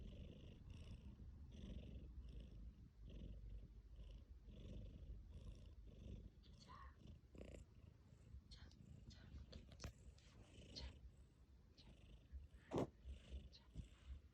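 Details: Tabby cat Mikki purring and snoring while sleeping: low rhythmic rumble through the first half, then shuffling, clicks and brief handling noises; a Korean voice then tells the cat to sit.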